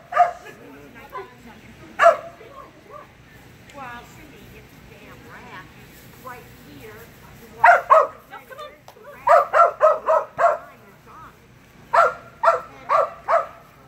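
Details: Repeated sharp barking from Phenix, a Kerry Blue Terrier, on a Senior level Barn Hunt qualifying run, June 8, 2019; barks come in bursts of three to five, separated by quieter gaps with a few softer yips.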